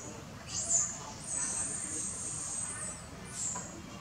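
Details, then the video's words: Baby monkey crying loudly and without end for milk while its tired old mother feeds it: thin, very high squealing cries, a long drawn-out wail through the middle with shorter sharp squeals before and after, over low background noise. "Baby Monkey That Crying Loudly Never End For Milk"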